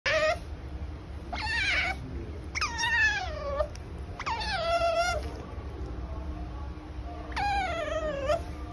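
An otter gives five high, whining squeals, each under a second or so and sliding downward in pitch, over a low indoor hum.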